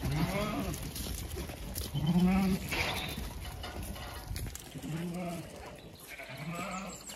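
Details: Zwartbles ewe named LittleBit, heavily pregnant and close to lambing, left behind in a field on a regenerative farm in County Kilkenny, Ireland, calling out; low, wavering bleats repeat several times with short gaps, over wind and rustling.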